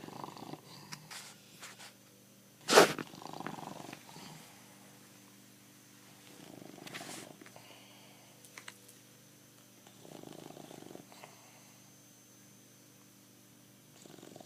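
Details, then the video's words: Bulldog named Pancho snoring indoors, with his tongue out; soft rattling snores recur roughly every three to four seconds, interrupted early by a loud sharp bang. "BULLDOG, Pancho para de roncar !"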